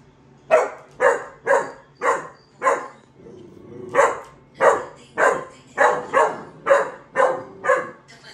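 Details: Dog barking indoors in a steady run of sharp, evenly spaced barks, about two per second, with a brief pause and low murmuring before the barking resumes.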